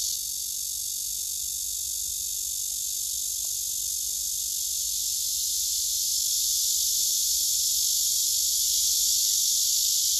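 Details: Male cicada singing hard on a tree across the way, filmed with a phone; sustained high, hissing buzz that grows a little louder toward the end, a few faint clicks midway.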